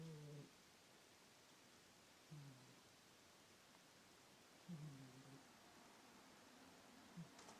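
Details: Soft snoring from the sleeping house cat Miss in a small indoor room: four low, rasping snores spaced a little over two seconds apart, each brief and buzzy, with quiet hiss between.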